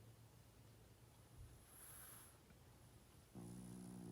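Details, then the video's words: Elderly male pug, aged 12.5, snores in his sleep. After quiet breathing comes one sustained, tonal, buzzing snore near the end, set against a constant low hum. "Pug play, sleep 😴 & snoring loud"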